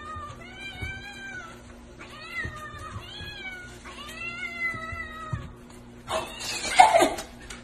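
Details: Mother domestic cat that has brought her kitten to people, giving four long, drawn-out meows, each gently arched in pitch and about a second long, over a steady low background tone, ending in a burst of rustling noise.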